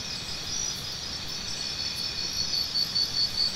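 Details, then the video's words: Cricket chirping as a tinnitus sound-therapy recording: a steady high buzzing chorus with short pulses starting late, about two per second, over faint low background noise. "Try Listening to Cricket Sounds"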